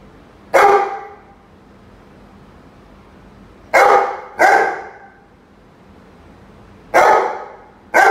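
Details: Roady, a Rhodesian Ridgeback, barking at a chicken: sharp broadband barks, one, then a close pair, then another, separated by quiet gaps of a few seconds over a low background hum.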